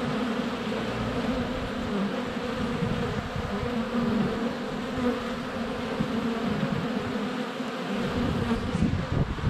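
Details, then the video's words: Crowds of honey bees flying around the entrance of their hive in February sunshine, captured up close by a GoPro Hero 7 Black; continuous low droning hum from countless wings, even and unbroken across the whole stretch. "Honey Bees - ambient video and audio"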